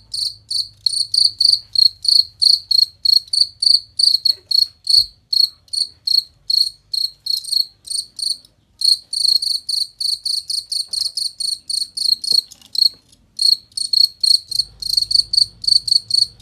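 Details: Cricket recorded clear and ringing as a master for tutoring contest songbirds, giving steady trains of shrill, high pulsed chirps several times a second, one short break partway through, and a low rumble rising near the end.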